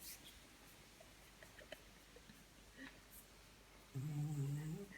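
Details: Dog fast asleep indoors at bedtime, giving one low, rumbling snore near the end after quiet breathing, with faint room noise.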